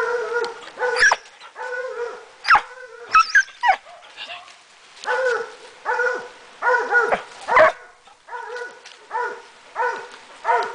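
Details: A Swiss Hound working on wild boar during a hunt gives loud, ringing barks in quick bursts, with brief pauses between them.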